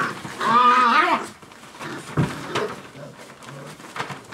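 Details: Dogo Argentino puppies at five weeks of age, one loud wavering high yelp near the start, followed by softer grunts, short whines and knocking sounds inside a small room.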